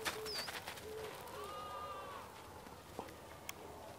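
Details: Sheep on a farm in the morning: one drawn-out, wavering bleat lasting about a second, rich in overtones, set among short high bird chirps and soft rural background noise.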